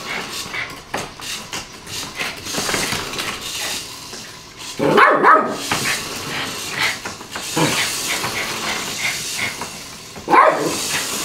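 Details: Yorkshire Terrier playing with a toy car indoors: a few short, sharp barks near the middle and end, amid rattling and clattering from play and some low speech.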